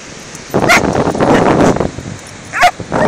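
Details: A 14-week-old Doberman and a Border Terrier of about seven or eight years play on a beach. Two short, high yelps stand out over a steady rush of wind or surf and a burst of scuffling noise.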